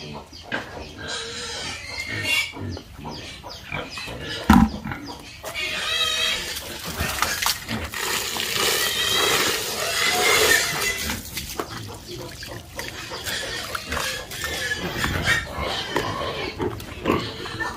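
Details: Several pigs on a farm oinking and squealing: choppy grunts early, one sharp bang near four seconds, then a long stretch of high, wavering squeals in the middle before rougher grunts return.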